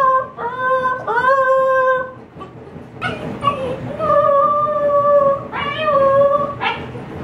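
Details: Lonely female Siberian Husky puppy howling for the first time, shut indoors as her people prepare a yard sale: drawn-out clear howls with upward-sliding starts, separated by brief pauses, in a small room.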